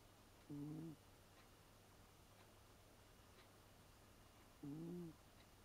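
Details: Leo, an eight-year-old American Shorthair cat, snoring in a moan-like "uun uun" pattern rather than a grunting one: two short, low, tonal breaths about four seconds apart over a quiet indoor background with a steady low hum.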